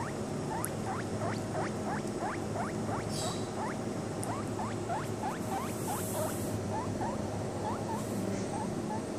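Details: Baby guinea pig, seven days old, drinking milk from a bottle; short rising squeaks repeat about three times a second over a steady low background hum.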